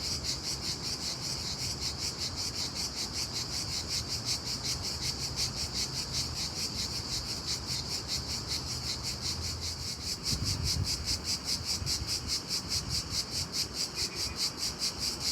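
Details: Very loud cricket chirps in daytime, a shrill pulsed trill at a steady rhythm about two and a half per second; a brief low rumble rises near the ten-second mark.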